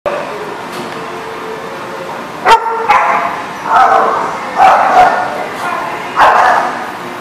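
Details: Dog barking in short, sharp bursts at irregular intervals, several loud barks in the second half, with a person's voice in the background.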